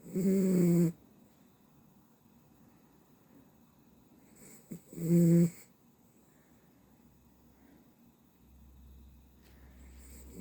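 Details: Dachshund asleep and snoring: two loud, low, rasping snores about five seconds apart, each under a second long, with quiet breathing and faint room noise in between.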